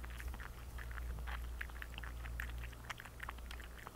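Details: A thirsty cat drinking water indoors: quick, wet lapping clicks follow one another several times a second in uneven bursts, over a steady low electrical hum.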